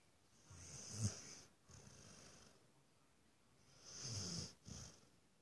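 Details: A Rottweiler Beagle mix dog asleep and dreaming on the couch snores in slow, rumbling breaths with raspy, hissing edges.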